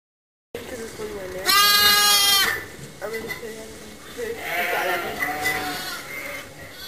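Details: Motherless lambs held in a pet lamb pen for watching and regular feeding; one loud, harsh, quavering bleat lasting about a second stands out, followed by softer calls and low murmuring voices.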